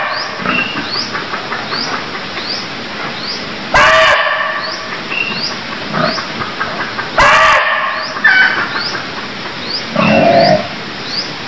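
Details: Barking deer in Cambodia give short, harsh, shrill calls a few seconds apart. Behind them, a steady, quick series of high, rising chirps runs throughout, with some abrupt breaks in the sound.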